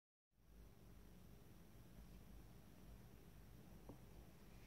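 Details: Brothers Tigger and Toby, two cats, share a cat bed; after a silent start, a low, steady, pulsing rumble fills the recording, with a faint hiss over it and a brief tick near the end.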